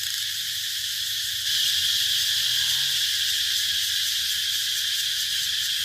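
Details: A cicada buzz that swells abruptly louder after a second and a half, then runs as a dense, shrill, quickly pulsing whine to the end.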